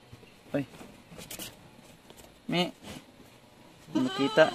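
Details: Goat bleats recorded at Terra Grande Farms, Negros Occidental, Philippines, while Anglo-Nubian does gave birth to seven kids in a day; three short nasal bleats spaced apart, the last a longer, trembling call, mixed with human speech.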